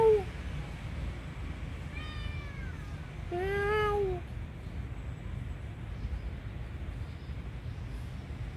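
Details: Poor tiny kitten crying for help gives a short mew, then a thin wavering cry and a louder plaintive meow about a second later, followed by quiet low background noise.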